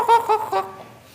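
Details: Otter giving three short, bright chirping squeaks in quick succession within about half a second, each harmonic-rich and level in pitch, trailing off into a quiet room.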